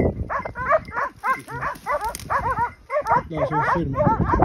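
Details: Pack of hunting dogs baying a group of wild boar in a drive hunt at Pratomagno, Arezzo, Italy; quick runs of high, sharp yelping barks from several dogs at once, briefly pausing then resuming, a man's voice faintly heard.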